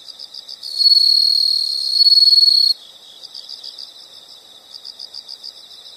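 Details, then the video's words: Insects heard as calming nature sound: a rhythmic pulsed chirping around four kilohertz beats steadily, interrupted by a loud, sustained high buzzing trill lasting about two seconds before the soft pulsing resumes. "the sound of insects"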